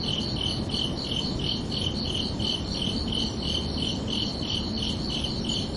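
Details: Crickets chirping at night on a summer evening: steady high pulsed chirps, roughly three per second, each with a bright tone and a fainter overtone above, over a soft broadband low rumble.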